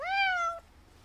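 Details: Sickly elderly feral cat in the countryside, still wanting more churu after eating: one clear meow of about half a second that rises briefly, then holds and slowly falls before stopping abruptly.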